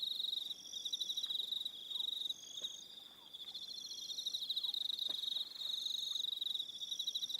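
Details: Evening crickets on Aroha Island, New Zealand: dense pulsed chirping trills around a steady high band, with fainter higher trills layered above and brief dips in the chorus.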